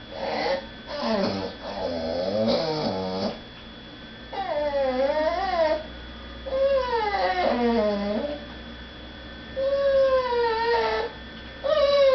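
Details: Indoor pet dog whining because people are eating in the next room and she is not allowed to beg at the table; a run of wavering, yodel-like cries, some rising then falling, others held steady, in separate bursts.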